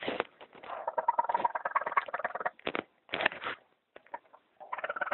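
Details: Orphaned raccoon kits, a litter of three abandoned by their mother under a bathtub in California, crying: dense, rapid trilling squeals and warbling chitters, a long busy run then short loud bursts after gaps.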